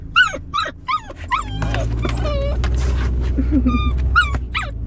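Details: A Siberian Husky (Canis lupus familiaris) gives rapid, yelping whines that slide up and down, breaking into a brief wavering howl.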